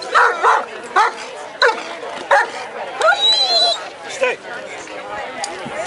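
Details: Echo, a working-line German Shepherd and citizen K-9, barks during a police procedure demonstration of control at the Woofstock doggie fair in Anthem, Las Vegas, Nevada. Sharp, loud barks come in quick bursts of about one per second, with voices nearby.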